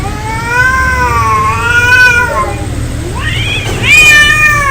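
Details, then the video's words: Cats fighting, a long wavering low yowl rising and falling in pitch, then a sharper rising wail near the end, over a faint low rumble in the background. "Angry Cat Fight Cats Sound Effect Real fight Of cats Audio"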